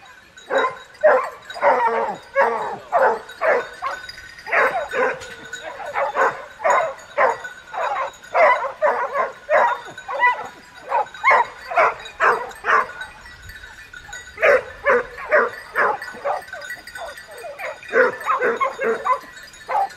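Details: Pack of hunting dogs barking in a dense, overlapping chorus of short mid-pitched barks and yips, about two per second, with only a brief lull near the middle.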